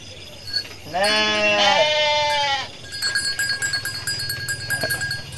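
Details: Local West Javan sheep and goats foraging in rice fields, answering one another: one long, loud, quavering bleat lasting about a second and a half, followed by rustling and clattering noises and faint background hum.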